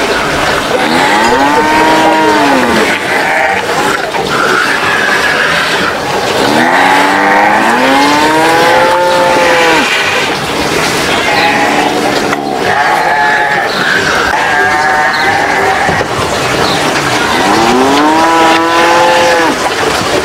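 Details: Livestock cows jostling over food, with repeated long moos swelling upward and sinking at the end, roughly every five seconds, under a constant hiss of background noise.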